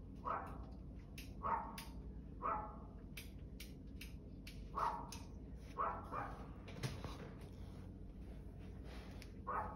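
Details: Dog barking repeatedly, short mid-pitched barks roughly every one to one and a half seconds, some in quick pairs, with a rough noisy background.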